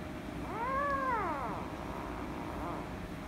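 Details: Angry female rescue kitten meowing loudly while being petted: one drawn-out arched meow rising and then falling over about a second, followed by a fainter, shorter meow, with a steady low hum in the background.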